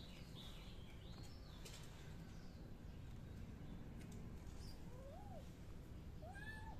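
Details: A kitten gives short, thin meows with a rising then falling pitch, two brief calls late in the recording over a quiet background hiss and a few soft rustles.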